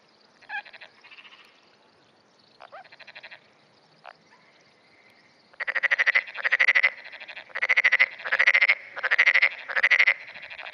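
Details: Calling continuously in early morning on 10 June 2009, a black-spotted pond frog responds to neighbouring frogs. A few softer, scattered croaks are followed by six loud rattling pulse bursts, spaced roughly a second apart.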